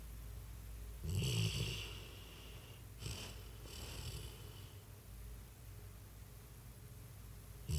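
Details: Freddy, a dog, snoring while asleep and twitching: two snore bursts, a longer one near the first second and a doubled one around three to four seconds, low rumbling with airy hiss above, quiet room between.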